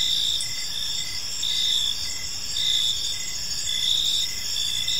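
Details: Crickets calling in a tranquil park as evening falls, a bright steady trill with brief softer chirps recurring roughly every second over a low, even background hiss.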